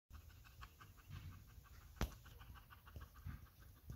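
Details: Belgian Malinois resting and relaxing, panting softly in quick, even breaths about four per second, with a single sharp click near the middle; otherwise a quiet indoor setting.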